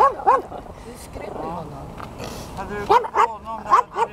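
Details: Zorro, a Chihuahua looking for a new home, lets out a few sharp, high-pitched yips near the end, following quiet background chatter and a woman talking in Swedish.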